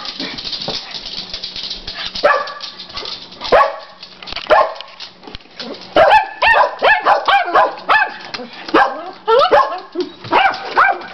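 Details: Dogs, a Chihuahua and a Rottweiler among them, play a daily game with the neighbour's dogs: a dense run of sharp harmonic barks and yips, sparse at first, then quick overlapping bursts from several dogs in the last five seconds.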